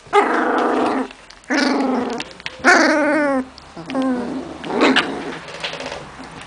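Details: Playing domestic dog puppies give a run of high, harmonic yelps and whiny yips in bursts of about a second, with short gaps and rougher growling notes between them.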